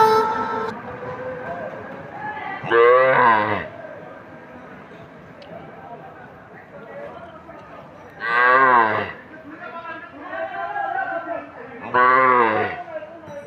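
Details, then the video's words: A calf cries for its mother with three loud, drawn-out moos, each near a second long and rising then falling, spaced about four to five seconds apart over steady background singing. "গরুর বাচ্চাটা তার মায়ের জন্য কাঁদছে"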